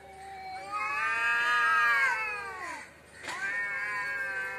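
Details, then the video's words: Loud caterwaul from cats fighting in front of a house: a long, strained wail that swells, bends sharply downward, breaks off, then resumes as a second sustained, harmonic-rich howl. "cat fitting l বাড়ির সামনে বিড়াল এর jhokra dekhao sobai"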